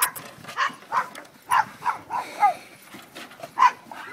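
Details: Pit bull during high-jump play, giving short sharp barks or yelps, about eight bursts in four seconds at an uneven pace, with faint background noise between calls.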